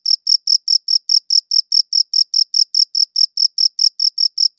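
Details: Cricket chirps, high and ringing, come in a brisk even series of about four per second; nothing else is audible until a faint click at the very end.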